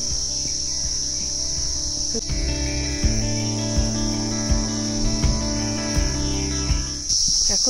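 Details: Crickets in dense forest around the monastery at Lava, Kalimpong, around 11 am on a cloudy day; a continuous high steady trill runs throughout over lower rhythmic tonal sounds, with a burst of noise near the end.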